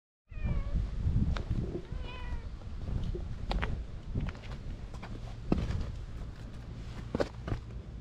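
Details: Brown tabby-and-white stray cat on a cat island, being tickled, recorded on a GoPro: two short, falling meows early on, then steady low rumbling and handling noise with scattered clicks.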